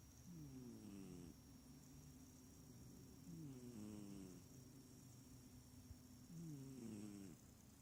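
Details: Small cat snoring, not purring, while asleep: three rasping, nasal snores roughly every three seconds, each sliding downward in pitch, over a thin steady high whine.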